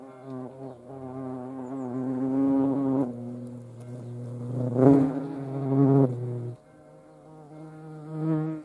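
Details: A flying hornet gives a deep, continuous humming buzz whose pitch shifts slightly up and down, growing louder at times as it passes close, then dropping to a softer drone.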